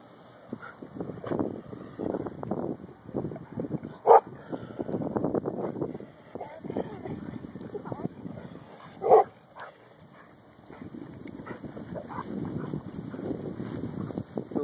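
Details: Female Golden Retriever meeting a cow for the first time on vacant land gives two sharp, loud barks, around four and nine seconds in, with a person talking and calling to her through most of the recording.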